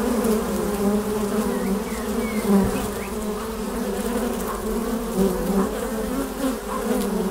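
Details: Buzzing of honey bees flying at the entrance of a beehive: a loud, steady low drone with a warbling layer above it, swelling and fading slightly as single bees pass close, faint bird chirps behind.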